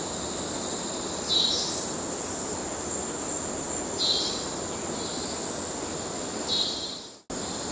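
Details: Cicada males calling to court in Kerala: a shrill continuous drone with three evenly spaced louder swells roughly every 2.5 seconds, then a sudden brief cutout near the end.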